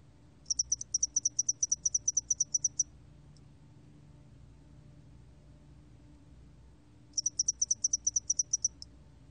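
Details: Spotted-wing hairy cricket song, from a 2020 National Institute of Biological Resources recording: high, even trains of quick pulses lasting over two seconds, then a pause of about four seconds before the next burst. The background is quiet.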